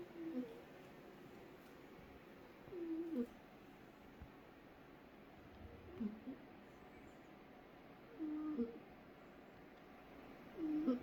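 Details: Sleeping cat snoring: short whistling, squeaky snores recurring about every two and a half to three seconds over a quiet indoor background.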